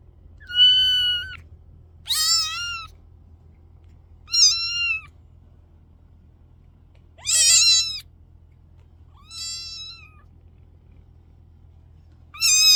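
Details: Kittens meowing repeatedly, six high-pitched cries spaced about two seconds apart, some clear and tonal, others rough and strained, each roughly half a second long, with a faint background hum in a quiet room.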